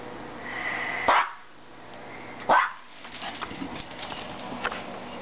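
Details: Maltese dog giving two short sharp barks about a second and a half apart, then softer scattered sounds and background room noise indoors.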